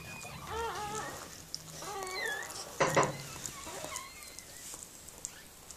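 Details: Mirella, a Miniature Pinscher giving birth to puppies, lets out thin whining cries that bend up and down, two clear bouts early on, then a sharp knock and quieter rustling.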